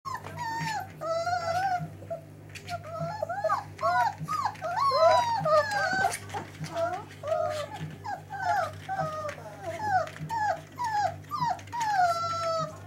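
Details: Dogo Argentino playing eagerly. Continuous high, wavering whines and squeals rise and bend in quick succession, about two per second, over a steady low electrical hum.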